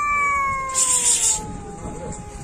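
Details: Cat meowing in a long, gradually falling wail, interrupted midway by a brief loud hissing burst of high noise, then the tone trails off lower.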